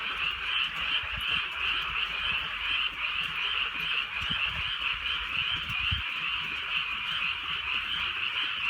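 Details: Many frogs croaking together through a gentle night rain in rural Korea, a constant pulsing chorus at two pitches, about 150 pulses a minute, light rain drops audible low.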